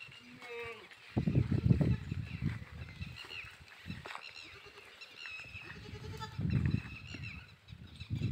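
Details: Sirohi goats: a short, nasal, harmonic bleat near the start, then low rumbling and shuffling noise with a few faint higher cries and brief human voices.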